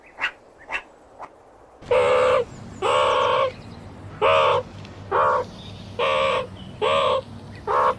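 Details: Meerkat moaning, captured with 8D audio: after a few faint taps, a series of rich, nasal, harmonic calls, each bowed in pitch and lasting about half a second, repeated roughly once per second over a low hum.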